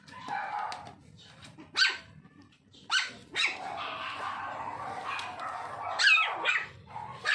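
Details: Short high yapping barks from a Toy Poodle puppy, three strong ones spaced a second or more apart over a low murmur of room noise.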